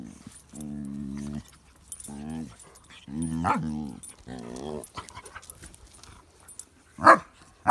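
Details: Pet dog making a funny sound while playing with baby pugs: a series of steady, nasal, harmonic whine-like tones, each about half a second to a second long with short gaps, ending in two sharp louder bursts.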